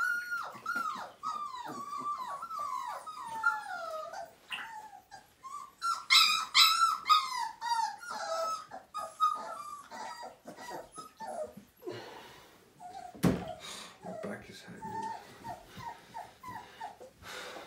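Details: Five-week-old Siberian Husky puppy crying during its first bath: long runs of high, falling whimpers and yelps, louder in the middle, then fading to weaker, scattered whines, with a sharp knock partway through.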